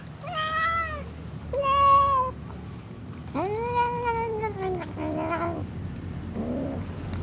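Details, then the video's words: A little cat meows before eating alongside other cats: a string of five drawn-out, wavering meows over about seven seconds, the fourth longest and dipping at the end, the last one short and faint, with a low steady hum beneath. "little cat meows while the tom cat also sneezes before eating with other cats"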